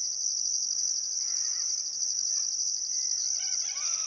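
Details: Australian crickets chirping by the Barcoo River at sunset in Welford National Park, Queensland outback, summer: constant high-pitched shrilling with pulsed higher chirps in regular bursts, faint bird chatter appearing toward the close.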